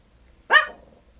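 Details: Small 12-year-old male Yorkshire Terrier weighing five pounds, urged by family to sing, gives a single short sharp bark in an otherwise quiet room, followed by praise.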